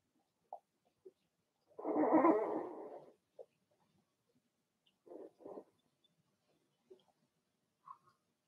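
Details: Blenheim Cavalier King Charles Spaniel puppies from a litter of six, born March 7–8, in an indoor puppy pen; a loud rough howling bark lasting over a second, surrounded by short scattered yips and squeaks from the pups.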